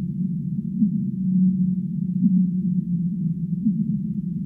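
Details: Humpback whale singing in a sleep-sounds recording: a held, low, even tone is flanked by short rising groans, all wrapped in a dense, muffled low rumble.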